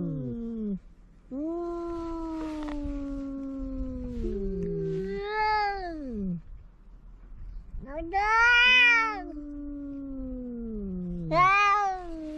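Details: Cat meowing and caterwauling in long drawn-out wails, several sliding, wavering cries rising then falling over a dozen seconds, some loud and harsh, others lower and moaning, played to chase away mice.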